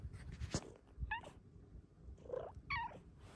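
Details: Pet cat indoors with a second cat, asking for more petting: two short, bright meows about one and a half seconds apart, each rising then falling, over soft handling and rustling noise.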